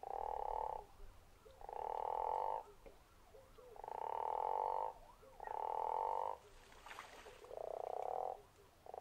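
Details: Guttural toad calling at Zeekoevlei, a deep pulsed snoring croak in blocks of about a second, repeated with short gaps, one call overlapping a faint second caller.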